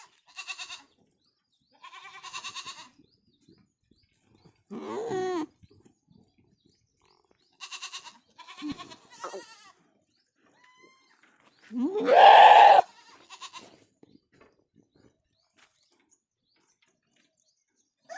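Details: Goat bleating on a farm: a series of wavering, nasal, harmonic bleats in short bursts with quiet gaps, then one long, loud, strained bleat near the end.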